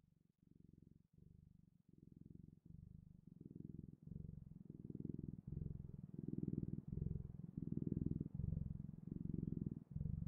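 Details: Domestic cat purring indoors, a low rumbling pulse broken into steady phrases of about a second each, growing gradually louder toward the end; no other sounds.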